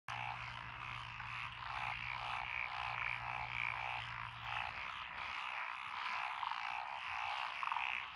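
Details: Frogs, possibly Japanese tree frogs, black-spotted pond frogs, wrinkled frogs, Schlegel's green tree frogs and forest green tree frogs, calling in lotus rice paddies beside a country road, Echizen City, Fukui, Japan, 12 June 2021. Dense overlapping croaking chorus with pulsed notes, plus a low steady hum for the first half.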